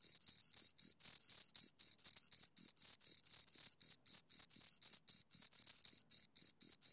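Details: Two crickets chirping close up, a steady high-pitched pulsed trill with short bursts about four per second, broken by brief gaps; no other sounds.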